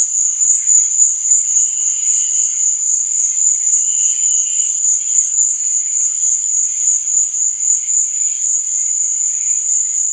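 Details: High, steady chirping of crickets at night, a shrill trill throbbing regularly near four pulses per second, with faint lower tones drifting beneath.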